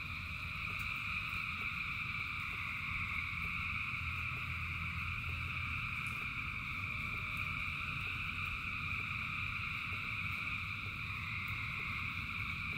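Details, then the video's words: Rainy night chorus of thousands of frogs: steady overlapping high-pitched trills form an even drone, while rain patters and rumbles low underneath, with faint ticks scattered through. "Frogs in Rain 2 Hours of Frogs, Thousands of Frogs Singing"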